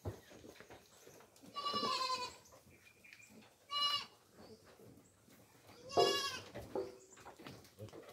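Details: Farm goats fed coconut pulp: three loud, trembling bleats, the first long and drawn out, a short one mid-way and a strong final cry, over quiet background rustling.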